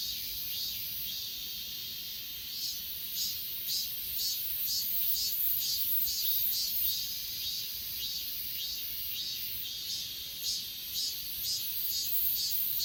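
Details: Rhythmic high chirping from grass insects on Achasan mountain, filmed on an S20 Ultra in 8K. Pulses come roughly every half second, layered on a constant shrill insect chorus.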